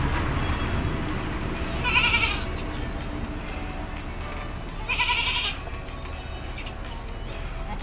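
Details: Domestic goat in a rural village setting being bathed, giving two short, shaky bleats about three seconds apart over steady background music and low hum.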